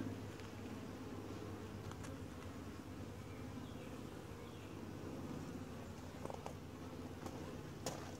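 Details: Quiet, gentle honey bee colony at a routine hive inspection, recorded from a tripod camera; a soft, constant low droning buzz, with scattered sharp ticks and taps from the beekeeper's movements.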